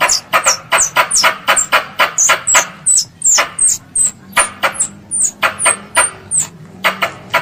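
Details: Squirrel, described as a pest, calling its mother: sharp high chirps that slide downward, each with a clicky onset, repeated about once a second in an uneven run, with a faint low hum beneath.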